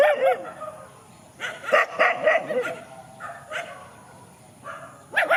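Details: Countryside dogs squaring off in a field trade clusters of sharp barks and yips, separated by short quiet gaps, with a final burst at the close.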